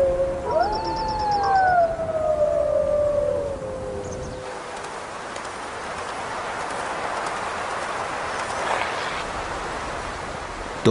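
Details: Gray wolves of a nearby pack howling in the mountains, voices a family member can recognize; overlapping drawn-out howls rise briefly then glide downward over four seconds before fading into breezy, hissing background noise.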